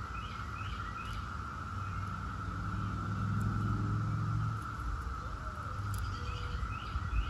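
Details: Periodical cicadas of Brood X, the 17-year cicada, fill the air with a continuous level buzzing drone; a passing vehicle swells in the middle, and light bird chirps appear at the start and end.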